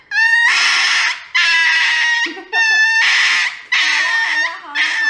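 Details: Dog getting an injection gives a series of repeated yelping cries, each about a second long with a sharp rise at the start, roughly one per second and slightly irregular, with faint voices between them indoors.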